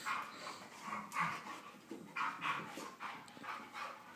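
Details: Young Husky mix wrestling in play, breathing in rapid, uneven pants that come in short bursts of airy huffs, several per second, with quiet gaps between.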